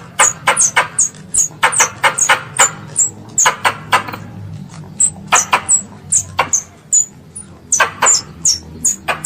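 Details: A squirrel, considered a pest, calling its mother: bursts of shrill high chips in uneven clusters, fast then pausing, over a low hum.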